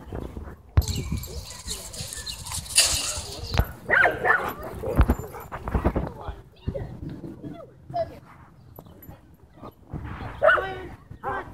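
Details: German Shepherd at a dog park, territorial over toys and personal space, barking to demand the ball from its owner while another dog barks back playfully; sharp, harmonic barks in short bursts between loud human talk.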